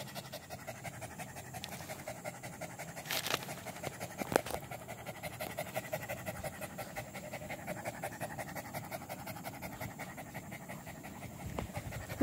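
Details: Anjing kampung, an Indonesian village dog, recorded 18 April 2021, panting steadily in quick, even breaths for about twelve seconds, with two louder knocks partway through and faint voices nearby.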